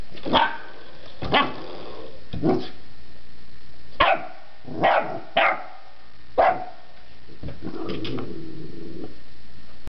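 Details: Puppy barking at a door stopper it is fascinated by, indoors: sharp single barks repeated irregularly, about eight in ten seconds, some in quick pairs, ending in a lower growl-like sound.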